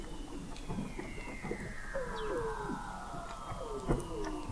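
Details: Weddell seals beneath the sea ice of McMurdo Sound, Antarctica, captured in November 2017 by an observatory 21 m below the ice; long slowly falling trills layered with short downward-gliding chirps and pulsed clicks from several seals.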